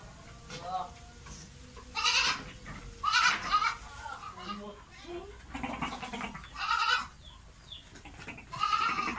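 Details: Goat in heat, calling to mate, giving loud wavering harmonic bleats in separate bursts about every one to two seconds, with human talk mixed between the calls.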